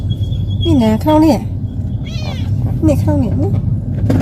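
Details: On a first-time sightseeing trip, a talkative pet cat makes a brief, bright meow amid people talking, with persistent low car noise underneath.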